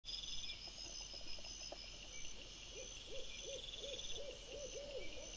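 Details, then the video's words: Wild boar piglets filmed by a camera trap on 26 August 2024; from about three seconds a quick run of six or seven short, arched, squealing notes, mid-pitched, over a dense, steady high chorus of insects. "CINGHIALI cuccioli - puppies WILD BOAR"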